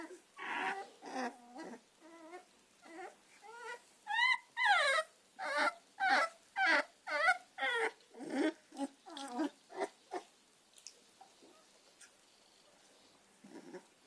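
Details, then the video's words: Puppies of the American Staffordshire terrier, Gina and Zeus, give a long run of high, quavering whines and yelps, about two per second, rising in loudness midway, then trailing off into quiet with a last faint whimper. "American staffordshire terrier cachorros gina y zeus"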